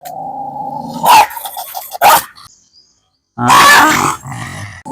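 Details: Kombai dog during a dog challenge: a steady harmonic whine-like growl, then loud, harsh barking bursts, a pause, and a longer noisy barking outburst; a man's voice is nearby.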